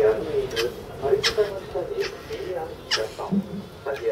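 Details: North American porcupine crying at Saitama Children's Zoo, Japan, March 2017: short whiny nasal notes repeated about twice a second over four seconds, steady in pitch, with a few sharp clicks between them.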